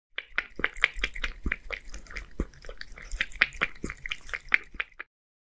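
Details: Beard, a one-year-old male Scottish Fold living in Japan, eating creamy seafood soup indoors; quick wet lapping clicks, several per second, close and steady, then stopping abruptly near the end.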